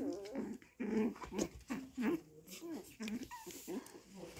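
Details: Chihuahua puppies in a home kennel in Simferopol, Crimea: soft, low, short grumbling whines and growly murmurs, roughly one per second, some bending up and down in pitch, over a faint hissy background.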